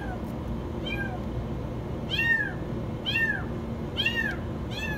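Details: A kitten stuck in the washing machine cries with very high meows, about one per second, each sharp and sliding downward, the later ones louder and fuller, over a faint background hum.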